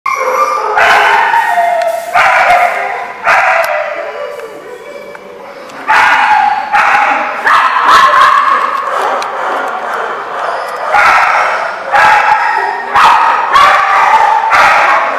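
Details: Dogs barking at a kennel lot on 29 June 2015: loud, overlapping barks and yips from several animals in dense bursts, nearly continuous with brief gaps, sharp clipped onsets and harmonic bark tones throughout.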